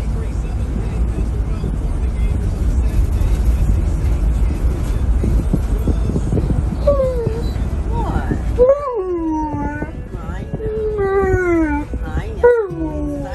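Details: Tonka, an Alaskan Malamute riding in a car, loudly protests wearing a seatbelt: after several seconds of engine rumble, drawn-out howls begin, with wavering, sliding pitch that rises and then falls, repeated in quick bursts.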